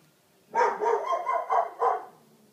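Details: Deutsch Drahthaar hunting dog from a Romanian kennel; a quick run of five or six hoarse, harmonic barks packed into about one and a half seconds, then quiet.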